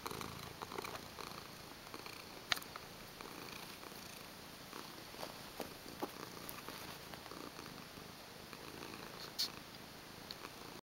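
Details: Male white Siamese foster cat in New York City purring close up; continuous, even, rasping purr with regular pulsing texture and a couple of brief clicks.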